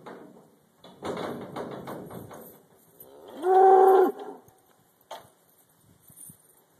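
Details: Black Angus cattle being loaded onto a trailer at a leased property for a short road haul: metallic clanking and rattling, then one loud, short, steady harmonic moo lasting under a second, followed by faint knocks.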